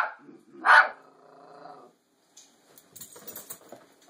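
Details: Bandit, a Toy Fox Terrier, confronting a fake deer birthday gift; one loud sharp bark followed by a faint trailing whine, then soft rustling and scraping noises.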